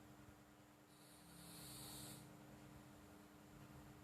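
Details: Flo, a pet cat, snoring softly while asleep: a single hissy, breathy exhalation swelling and fading over about a second, above a faint low rumble and a steady background hum.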